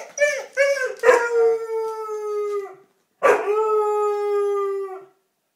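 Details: Basset hound Duke howling because he wants to return to the dog park: a few short yips, then two long steady howls, each sustained about two seconds with rich harmonics, separated by a brief pause, indoors.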